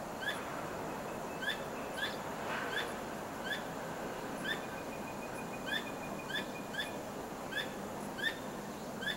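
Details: Nighttime calling from a squirrel that keeps wagging its tail, rarely heard at this hour. Crisp single chips recur irregularly, sometimes in quick pairs, against a noisier rustling background, with a faint level tone drawn out midway.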